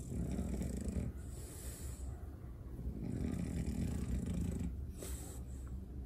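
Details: French Bulldog getting a belly rub, snorting and snoring in low, rough, rumbling breaths that run almost continuously, with brief louder surges of nasal noise.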